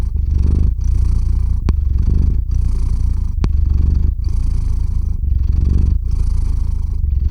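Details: Cat purring close to a microphone indoors as it falls asleep; strong low rumbling purr in regular breathing cycles, with two faint clicks partway through.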